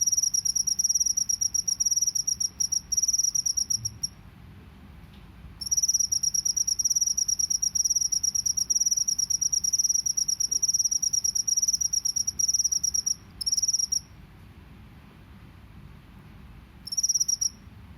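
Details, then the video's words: Rice field cricket in the wild, 'ngebren' drilling style: long stretches of high, rapid, buzzing trill separated by several pauses of a second or more, with short trill fragments near the end and faint low background hum. "SUARA JANGKRIK SAWAH NGEBREN"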